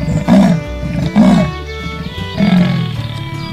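A leopard gives three deep, rough roaring grunts over background music.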